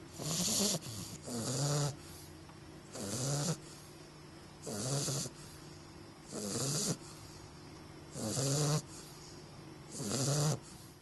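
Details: Augustus, an English bulldog puppy, asleep and snoring at Christmas time: six rumbling, hissy snores, each lasting about a second, repeated roughly every 1.7 seconds, with quiet pauses between breaths.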